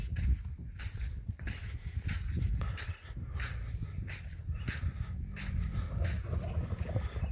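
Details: A young (jadha-aged) light-coloured male dromedary camel in Taif, Saudi Arabia, gives deep, rumbling grunts with rough, breathy bursts over a low background rumble.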